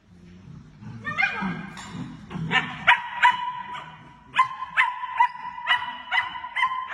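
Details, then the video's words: German Shepherd puppies, a litter of several: high-pitched yelps and whining cries, some drawn into a sustained whine, in irregular bursts of overlapping voices, with a soft low murmur early on. "berger allemand chiots adorables"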